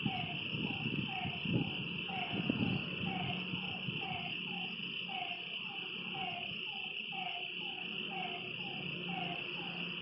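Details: Night frog chorus at a lake, short falling notes repeated at a steady pace beneath a constant high insect buzz, with a few low thumps early on.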